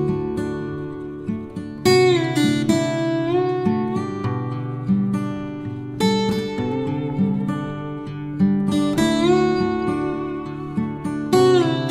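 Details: Strummed acoustic guitar music with bright plucked chords fills the whole recording, steady and melodic, with no animal calls audible.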